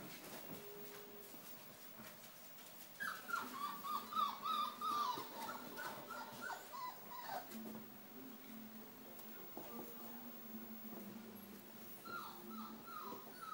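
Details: Rhodesian Ridgeback puppies, four weeks old, from a litter: a quick run of high, falling whimpers and squeaks about three per second for several seconds, then quieter, with a short burst of similar cries near the end, a faint low hum beneath.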